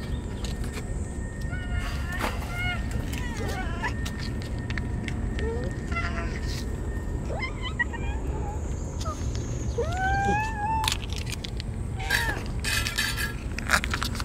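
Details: Stray sakura cats being fed on a very hot day, crying and rubbing against one another with joy; several rising, drawn-out meows scattered among a human voice, low background rumble and clinks.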